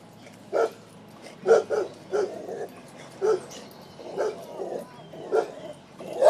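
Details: A dog asked questions by a person barks in reply: short, muffled, mid-pitched barks, about one each second, with a person speaking in between.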